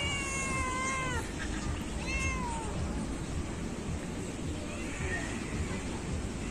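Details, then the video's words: Cat on a beach asking for treats, a lovely and very loud animal: two clear, drawn-out falling meows in the first three seconds, then a faint third near the end, over steady surf and wind noise and a few spoken words. "Feeding cat on the beach. Lovely and very loud cat"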